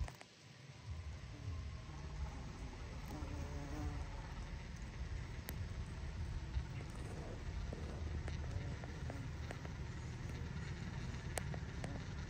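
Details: A carpenter bee in its burrow gives a deep, steady, muffled buzz that drones on without a break.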